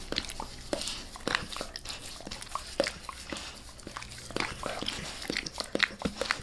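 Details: Max, a dog, licking a person's face indoors in a small room; wet, clicking tongue smacks and slurps come in quick irregular bursts, several per second, with no talking.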